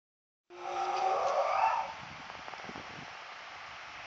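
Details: Ed, a male spotted hyena at the Sierra Safari Zoo, gives a single harmonic howl that swoops upward in pitch, then fades into background hiss.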